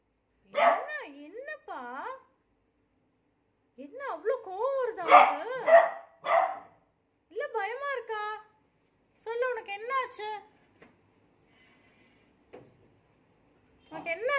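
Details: A beagle, frightened by a new cot, gives a series of wavering, whining cries that bend up and down in pitch. The cries come in bursts separated by short pauses, with faint clicks near the end.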